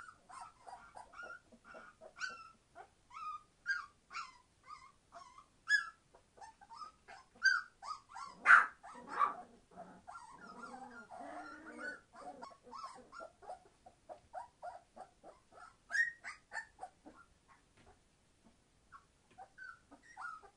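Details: Litter of 21-day-old Entlebucher Mountain Dog puppies, born 26 September 2015, making short high yelps and whimpers in bursts, with a louder squealing stretch partway through and quieter pauses between cries.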